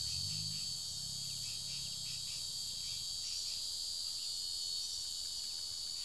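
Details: A cicada being devoured by ants holds a continuous, shrill buzz with a bright ringing core, after a brief low rumble at the start.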